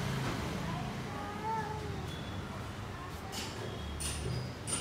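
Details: A cat called Lion cat, back after a fight and injured, gives one drawn-out meow that rises and then falls, about a second long, over a steady low rumble with faint hiss and clicks near the end.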